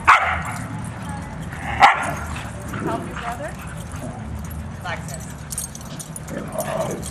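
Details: Two dozen huskies running, playing and wrestling together on 23 April 2010; a sharp bark opens the clip and another loud yelp-bark comes near two seconds, with scattered yips over a steady low rumble and human voices.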